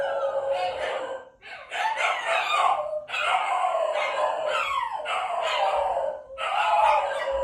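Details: Shiba Inu dog howling from its room: a long series of wavering, harmonic wails in phrases about one to one and a half seconds long, separated by brief breaths, rising and falling in pitch, with no other clear sounds.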